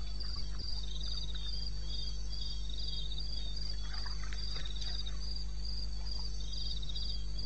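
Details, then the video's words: Eastern Botswana wilderness at night, 21 May 2016, 02:30: crickets give evenly spaced bursts of high, buzzy pulses, overlapped by a quieter lower-pitched caller, against low continuous background rumble. "1 Hour cricket sound"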